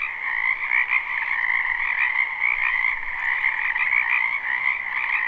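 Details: Springtime wetland frogs in full chorus, captured live without looping: many overlapping callers blend into an unbroken shimmering drone of trilled croaks, slightly pulsing in intensity throughout.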